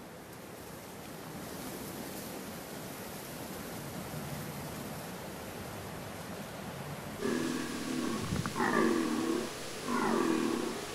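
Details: A Sardinian deer stag (Cervus elaphus corsicanus) on Monte Arcosu, Sardinia, recorded by camera trap during a 2018 bellow-count census, gives deep, hoarse rutting bellows after several seconds of steady background hiss.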